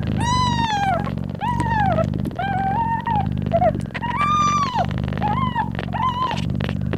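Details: Newborn kittens nursing on their mother cat, who purrs loudly; a low rhythmic purr runs underneath repeated clear, drawn-out mews that rise then fall, roughly one per second.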